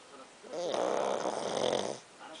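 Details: A dog named Pakkun snoring indoors: one drawn-out, rough snore lasting about a second and a half, with a buzzy, tonal midrange quality, framed by quiet before and after.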